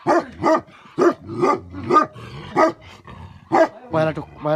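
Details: Barking from a Tibetan Mastiff (Bhote Kukur), a guardian dog breed kept with livestock in Nepal: several heavy, resonant woofs about one per second, with a tonal, drawn-out voice rising near the end.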